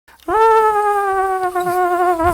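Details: Pet Jack Russell Terrier trying to talk, giving one sustained tonal howl-like vocalisation about two seconds long, steady in pitch with a rich stack of harmonics and a slight waver near the end.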